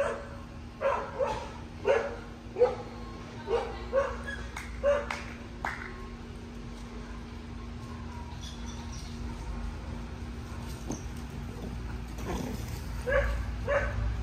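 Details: Two-and-a-half-year-old Cocker Spaniel named Lola, training obedience around dogs while building confidence; a run of loud, separate barks about every half second fades into a quiet stretch with faint noises, then several barks return near the end.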